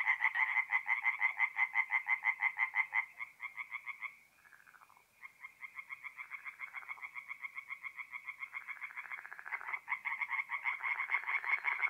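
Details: Singing tree frogs at a forest pond by night, north-east Italy, mid-April: loud, rapid, rasping croaks repeated about three times a second in overlapping runs, with a short lull near the middle before the chorus builds again.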